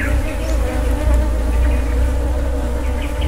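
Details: Continuous droning hum of honey bees at a wild honey harvest, an even, layered buzz that barely changes over a few seconds, over a low rumble of background noise.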